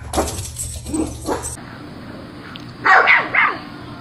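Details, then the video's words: Miniature Schnauzer giving soft yips and short barks over a constant low hum, followed by two louder, higher barks near the end. "Miniature Schnauzer - The Most Exciting Sounds That Make Dogs React"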